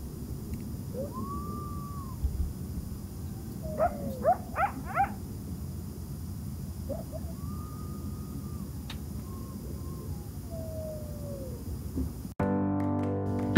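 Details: A lot of coyotes at Lake Mead give drawn-out, sliding howls that rise, hold and fall away, with quick runs of high, yelping yips in between; a burst of loud music cuts in at the end.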